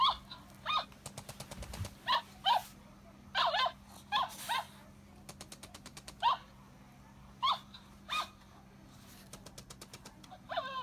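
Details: Cavalier King Charles Spaniel Rino at play with Kiga, jealousy showing: repeated short whining yelps, some doubled, alternating with rapid clicking runs over a steady low indoor hum.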